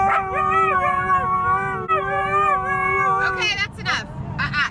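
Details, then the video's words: Husky singing, part of a compilation of huskies and dogs who sing: long, steady, drawn-out howled notes with clear harmonics, holding level for over a second before dipping, then broken, higher yelping bursts near the end. "Huskies and dogs who can sing away"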